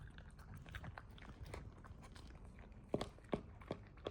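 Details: Puppy eating indoors: soft continuous munching, then three loud crisp crunches about half a second apart toward the end.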